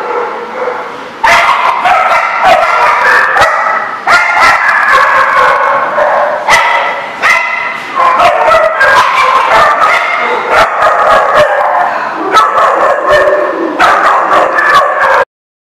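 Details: Dense, nearly continuous barking and yipping from several dogs at The Barking Lot on March 24, 2014, with overlapping calls piling up rapidly for about fifteen seconds before stopping abruptly.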